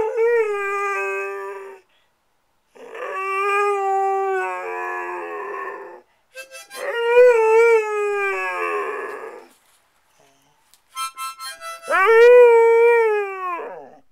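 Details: Singing to a harmonica, Squirt the dog gives four long howls, each held for one to three seconds with gentle pitch wobbles, separated by brief silences, with harmonica notes blended through.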